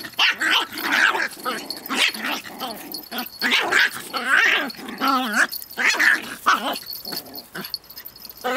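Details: Pip and little Bracken, two dogs, tussling over a twig in rough play; continuous rumbling growls broken by sharp yips and barks, rising and falling in quick, excited flurries.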